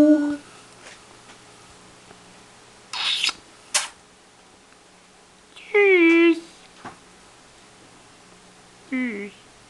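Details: A pet cat offering birthday congratulations gives two drawn-out meows, each sliding downward in pitch, one near the middle and a shorter one near the end, with brief rustling and a few spoken sounds between them indoors.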